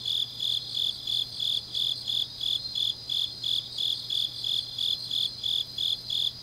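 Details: Grass insects chirping on a deep autumn night in Changnyeong, South Gyeongsang, Korea: high, bright pulses repeated about three times a second in a steady rhythm, with a faint continuous low hum beneath.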